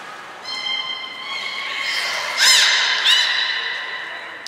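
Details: Captive belugas Hodoi, Taanya and Mirai at Port of Nagoya Public Aquarium on 14 March 2021, during pool moving and training. A sustained, evenly held harmonic tone is broken by louder rising-falling squeals around the middle and again shortly after.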